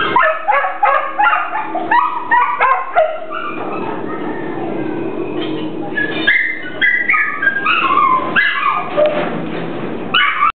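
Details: A hungry Pit Bull yelps and whines in quick bursts, a noisy, breathy stretch in the middle, then rising and falling whimpers and yips resume toward the end.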